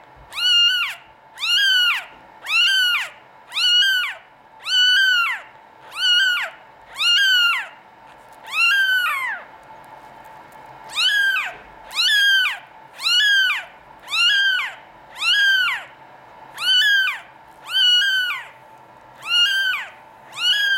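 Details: Norwegian Forest Cat kittens, European lines, kept at a cattery, meow persistently in a long run of high, arched cries, close to one per second, with a brief lull midway before the calling resumes.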